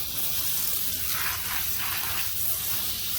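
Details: Steady hissing rush of water from a hose or tap while horses are rinsed after riding, broadband splashing with no animal voice audible.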